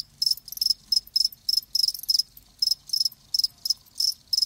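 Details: Live crickets giving short, bright, high-pitched chirps in quick bursts of two or three pulses, about three bursts per second, against a faint low background hum.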